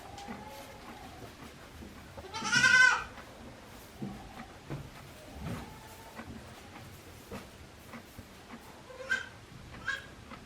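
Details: At Yoshigake goat farm on 17 April 2024, a day-old goat kid lets out one loud, quavering bleat, followed by softer, fainter cries and quiet background sounds.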